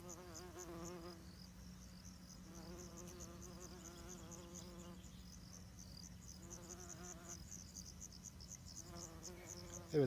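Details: Bumblebee of the kind used for greenhouse pollination, humming in a low, wavering buzz that comes in repeated bursts over ten seconds. Each burst swells and wobbles in pitch, with a steady faint hum underneath.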